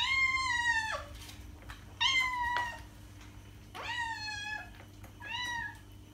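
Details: Pet cat giving four loud, bright meows in quick succession, each falling slightly in pitch, with short pauses between them in a quiet room with a low hum.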